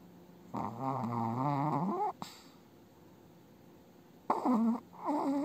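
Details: An elderly female Chihuahua snores in her sleep, her eye movements suggesting an active dream, with long, wavering, nasal breaths and a faintly whining tone.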